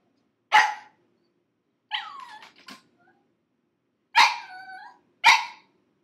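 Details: Pug puppy aged six months, crated for five minutes, letting out four shrill yelping screams, some ending in short whines, with a stuttering cry between them.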